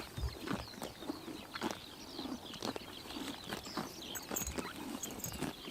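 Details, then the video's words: Summer-morning grazing by horses in Tuv province, Mongolia, with dense, quick crunching bites and ripping grass clicks, and light bird twitters above. "Horses eating grass in summer morning / chomping noises"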